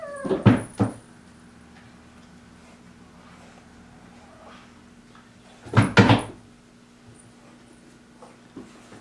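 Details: Pet kittens squabbling indoors, a fight sparked when Totoro pestered Mocchi during play; two short, harsh, harmonic outbursts, one near the start and another around six seconds, with quiet room hum between them.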